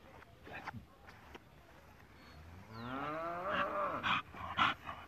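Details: American Bully dog from a Colombian kennel giving a drawn-out, rising, whining cry of about two seconds, followed by short sharp bursts, while a man urges it on in Spanish.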